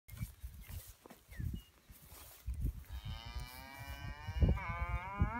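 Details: Full blood Braunvieh bull named Swiss Tradition Zorro gives a long, harmonic-rich bellowing moo in the second half, holding steady and rising slightly at the end, with low thumping handling noise beneath throughout.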